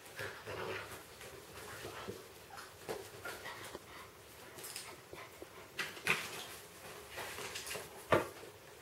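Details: A two-month-old Siberian Husky puppy playing with a ferret gives short, sharp, high whimpering yelps, two standing out near the end, amid scuffling, bumps and soft rustling of play.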